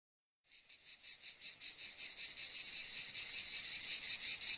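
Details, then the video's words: Cicada call that begins after a brief silence: a high, harsh buzzing throb that swells in loudness, pulsing about four times a second in a steady rhythm. "Cicade geluid / Zikaden sound / Zikaden zirpen / Cicada sound effect"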